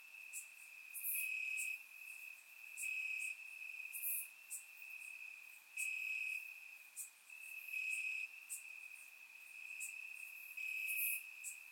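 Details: Warm summer night in Bulgaria with crickets chirping in grass, recorded by surround microphone; a constant high trill pulses louder roughly every one to two seconds, joined by sparse bright chirps from other crickets.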